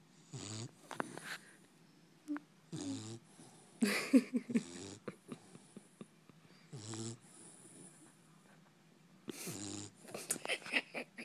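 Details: Sleeping puppy snoring: rough, rasping breaths in irregular bursts of one to two seconds, with short quiet gaps between them.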